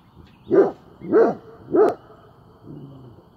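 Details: Great Pyrenees dog on watch, giving three loud, deep barks in a steady series about two-thirds of a second apart, then a softer, low drawn-out sound as it goes quiet.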